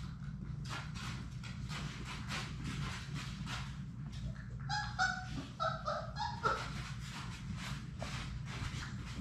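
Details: Six Labrador Retriever puppies at play in their indoor puppy play room on a live puppy cam; scuffling and padding noises give way to a run of short, high, tonal whimpering yips midway, over a steady low background hum.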